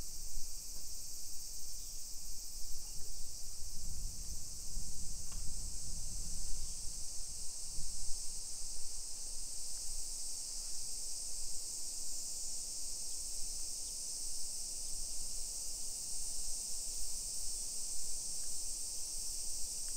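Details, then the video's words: A summer cicada chorus fills suburban Nisshin, Aichi Prefecture, Japan, at 1 PM on 28 July 2021, an even high buzzing wash without pauses; a brief low rumble swells midway under steady walking noise. "Summer Cicadas Sounds"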